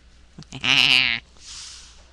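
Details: Cat giving a single drawn-out, harmonic meow of about half a second, steady in pitch, preceded by a few short clicks and followed by a soft breathy hiss.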